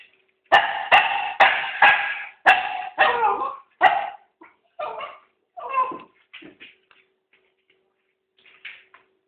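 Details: A six-month-old puppy that has learnt to open the bin, indoors. It gives a burst of about seven loud, sharp barks in quick, uneven succession, then softer, shorter yips that trail off into quiet, with a brief bark near the end.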